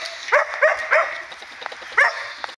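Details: Standard poodle puppies, three males play fighting on 18 July 2014, give high, thin yips and squeaky barks, four sharp bursts over about two seconds, with faint softer squeaks between.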